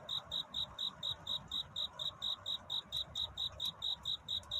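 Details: High, ringing chirps of a cricket courting at night toward dawn, crisp pulses spaced evenly at about three to four per second, with quiet low background noise.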